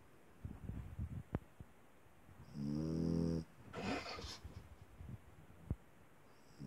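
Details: Small dog asleep and snoring: a rough, buzzy, harmonic snore lasting about a second, then a softer breathy rasp, with quiet ticking breaths and faint clicks between them.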